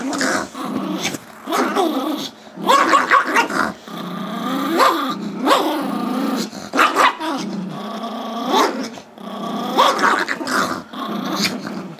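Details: Gizmo, a five-year-old male Chihuahua/Yorkie mix pet, barks while wanting the squeaky toy held by Tigger, a two-year-old Yorkie, during indoor tug play on Feb 10, 2011; repeated growly, harmonic barks and yips in short bursts throughout.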